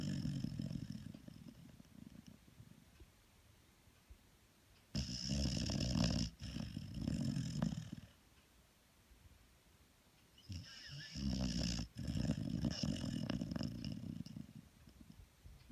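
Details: Deep, rumbling snores from a female dog recorded at very close range. Two long, heavy breath sounds are separated by a quiet gap.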